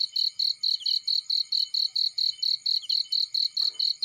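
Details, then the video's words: Field cricket chirping beside a fireplace: evenly spaced high pulses, roughly two per second, bright and ringing, with a brief soft crackle near the end. "Warm Relaxing Fireplace In Field || Burning with Cricket Sounds"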